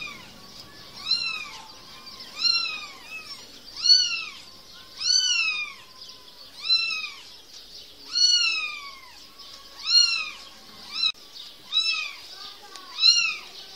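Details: Kitten meows during play, a steady series of clear, high, arched mews repeated about every one and a half seconds, each rising and then sliding down, with a quiet background.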